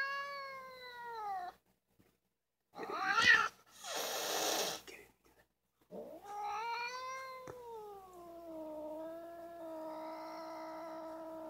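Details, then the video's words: Vocal fuzzy black domestic cat giving long drawn-out meows with stacked harmonics that slide downward, broken by a loud burst of hissing midway, then a long wavering yowl that rises and sinks slowly; quiet indoor background. "Fuzzy Black Cat Sound Effects"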